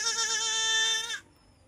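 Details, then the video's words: Osmanabadi goat on a farm in Shirdi, a single loud, steady, nasal bleat with a strong harmonic stack, held for about a second and then cut off abruptly into quiet. "गावरान शेळी व उस्मानाबादी शेळी"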